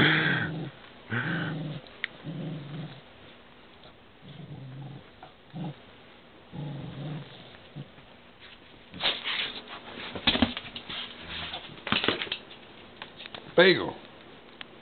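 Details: Beagle named Beagle, once called Dooly, a pet from Hiawassee, Georgia, growling while being petted: several low rumbling growls over the first eight seconds, then sharper noisy bursts and handling sounds.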